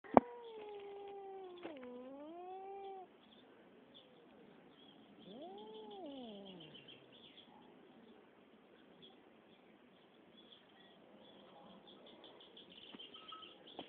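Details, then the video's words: Cats fighting: a long, drawn-out yowling wail that dips and swells for about three seconds, then after a pause a second rising-and-falling howl, over a steady hiss of background noise. "PELEA DE GATOS"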